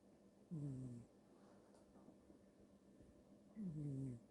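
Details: A cat snoring: two low, harmonic, slightly falling snore breaths about three seconds apart, each lasting about half a second, over a quiet background.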